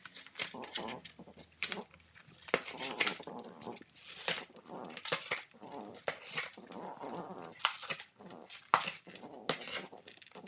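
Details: French bulldog puppy in a time lapse, tearing apart a cardboard box with mouth and teeth; short nasal grunts and growly whines sit among loud crackling, ripping cardboard bursts in a small indoor room.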